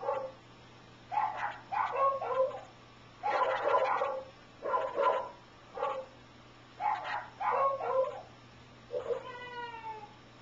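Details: Wasabi, a pet dog, tilting its head and giving weird barks in response to weird sounds indoors: eight or so short, rough, yowling bursts in irregular pairs over ten seconds, then a smooth falling harmonic tone at the end.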